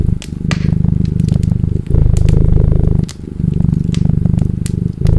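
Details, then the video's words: Domestic cat purring steadily in low rumbling pulses, broken by short pauses, with sharp crackles and pops of a burning fireplace over the top. "Cat Purring"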